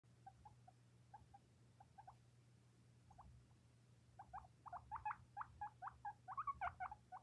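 A baby skinny pig gives soft, short squeaks that grow into a quick, louder run of chirping wheeks.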